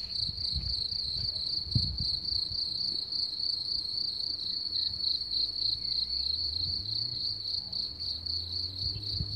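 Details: Crickets singing: a steady, unbroken high-pitched trill holds one even tone throughout, with faint pulsing, over soft low rumbles and scattered thumps in the background.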